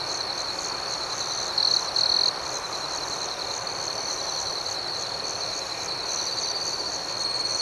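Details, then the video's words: Crickets chirping at night: a steady high-pitched ringing trill under rapid, pulsed chirps repeating several times a second, with a short louder whine early on and a soft background hiss. "Soothing Cricket Sounds"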